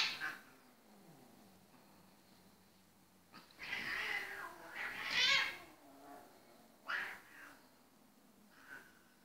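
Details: Two Ragdoll cats, male and female, give short, breathy, hiss-like bursts and brief meow-like calls as a grooming session turns into a noisy playfight after he grooms her 'no go' zones.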